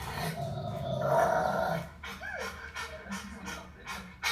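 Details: A Rottweiler puppy guards its owner from an aggressive dog on TV, growling low and rough and then giving a short, high, yelping bark.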